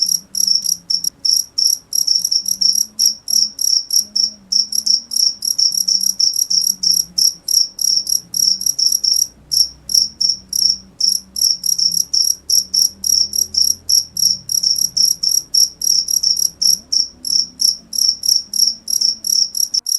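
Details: Shrill cricket chirps pour out in fast bursts with a few brief pauses, each pulse sharp and high, while a soft low rumble runs underneath.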